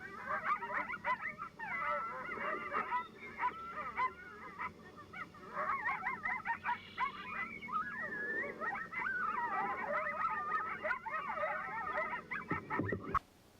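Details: Coyote. Several coyotes join in a frenzied chorus of wavering, sliding howls broken by sharp, rapid yips and barks. This group yip howl tells neighbouring packs where the group's territory lies.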